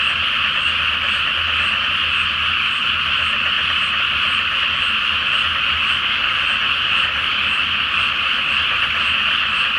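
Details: Full-moon night over a flooded paddy before rice planting, where a crowd of frogs calls at once. Their croaks blend into one thick, buzzing, even chorus that never pauses, over a quiet low drone.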